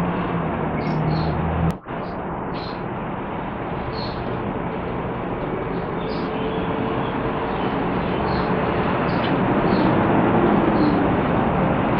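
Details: Steady broadband rushing noise like wind or passing traffic, with a sharp click near two seconds and no clear animal voice.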